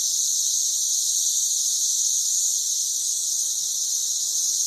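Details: Steady shrill buzzing from masses of Brood XIX periodical cicadas covering trees by a house in Murfreesboro, Tennessee; the high, hissing drone continues without a break, loud and even from start to finish.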